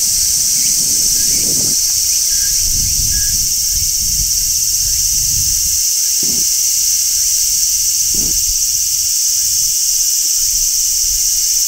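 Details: Midsummer song of large brown cicadas on a tree, an unbroken high sizzling buzz running through the whole stretch, with a few faint brief chirping notes and soft low background rumble.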